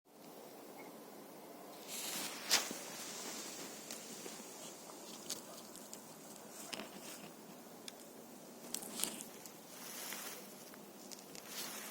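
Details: Quiet outdoor ambience with soft footsteps, rustling and light pattering, plus a few sharp clicks and taps; no animal voice stands out.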